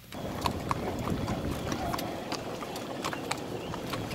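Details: Five-year-old bay and white spotted Tennessee Walking Horse gelding, 16 hands, a trail pleasure horse with a smooth natural saddle gait; sharp, irregular hoof clops land every few tenths of a second over a soft, steady outdoor rumble.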